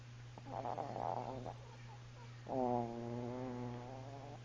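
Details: Bella, a pet Chihuahua, asleep and snoring: a rough, noisy breath followed by a longer nasal, whistle-like tonal snore held for about two seconds, over a constant low hum in a small room.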